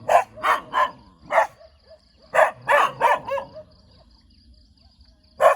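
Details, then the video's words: Tail-wagging pet dog giving sharp barks, three quick ones, then a single bark, a tight cluster of four, and a lone final bark after a quiet gap; a faint steady tone lingers in the background. "เสียงหมาเห่า หมาน่ารักกระดิกหาง"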